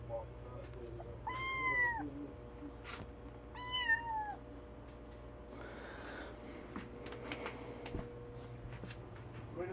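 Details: Domestic kitten indoors giving two short, downward-curving meows, with a rustle and a thud afterwards and faint talk in the background.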